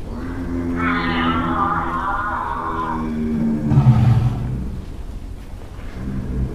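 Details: African elephant in Kruger National Park, South Africa. A deep, harmonic, roaring rumble holds with a higher tonal band for about three seconds, then swells into a louder burst near the fourth second.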